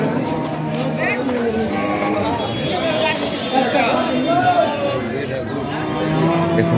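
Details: Cattle at a weekly cattle market in Gazipur, where local and foreign cows and calves are sold; low, drawn-out moos rise briefly under constant crowd chatter, voices and market bustle.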